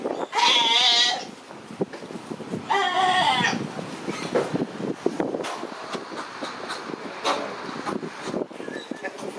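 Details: A family of Galápagos sea lions at the Puerto Ayora pier in the Galápagos. Two loud, harsh bleating calls with strong harmonics come in the first four seconds. Quieter clattering and murmuring background noise follows.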